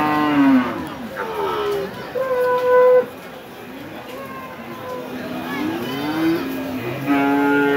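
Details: Market cattle at Hazratpur, Keraniganj near Dhaka, Bangladesh, where large cows and bulls are sold every Saturday. Repeated lowing calls, one held flat and steady for about a second, sound amid crowd murmur and speech.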